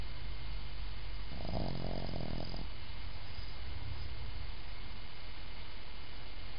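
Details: Pug named Rocky snoring while getting a face massage indoors: one low, rattling snore lasting about a second, with harmonic buzz, over a steady low hum and faint background noise.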